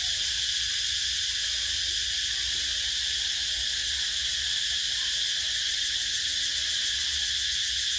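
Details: Summer cicada chorus, a steady shrill drone that holds without pause or change in volume for the whole stretch, bright and hissing, with only a faint low rumble beneath.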